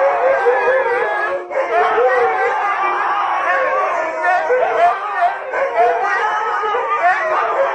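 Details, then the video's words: Several huskies in a pack howl in response to nearby singing, forming a dense, sustained wall of quavering, sliding howls that overlap and bend in pitch throughout, with only short breaks in the chorus. "Никогда не пойте рядом со стаей хаски"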